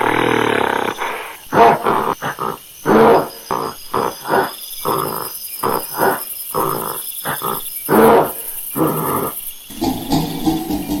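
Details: Monkey calling in a loud, harsh series of short barking bursts, roughly a dozen over eleven seconds, some with a tonal, roaring edge, separated by brief silences.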